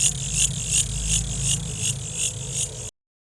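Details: Cricket calling with high-pitched pulsed chirps repeated about three times per second in a steady rhythm over a constant low hum.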